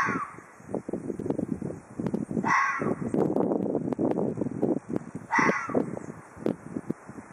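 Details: Ezo red fox of Hokkaido giving a threat display: a rapid, rattling chatter of short harsh pulses runs throughout, broken by two louder, rasping screech bursts about three seconds apart.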